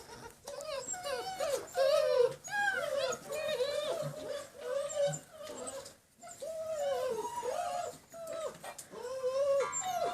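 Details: Six-week-old German Shepherd puppies, line bred, on a slippery floor for the first time, giving overlapping high whining whimpers that rise and fall, many harmonic-rich cries in quick succession with brief pauses.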